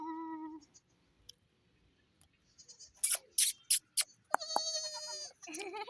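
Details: Mini goat and baby goat kid on a farm give short nasal bleats, one at the start and more near the end, separated by a few sharp clicking knocks.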